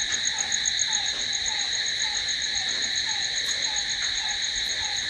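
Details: Crickets calling at night: a dense, continuous high-pitched trill in steady bands, with a softer falling note repeating about every half second beneath it.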